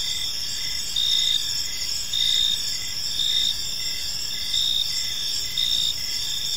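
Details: Crickets chirping in a park on an evening, a dense high-pitched chorus with pulsed bursts swelling roughly every second over a steady shrill trill, faint low background noise.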